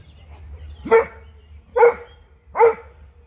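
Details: Dog barking as a Doberman meets a Fox Terrier: three sharp, loud barks spaced just under a second apart, each with a brief tonal core, over a quiet background with faint low hum.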